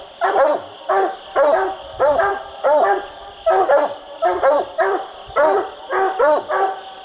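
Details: Coonhound barking treed during a night raccoon hunt: loud, hoarse, evenly spaced barks, about one or two a second, with a steady high insect-like hum behind.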